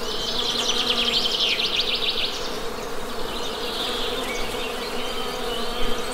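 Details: A constant low bee drone, with a rapid bird trill in the first two seconds and softer chirping afterward.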